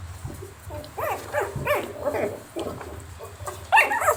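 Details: Puppies yapping in a sound-effects recording: short high yelps with rising-falling harmonic sweeps, irregular and overlapping, several in a burst near one second and a louder yip cluster toward the end over a low hum.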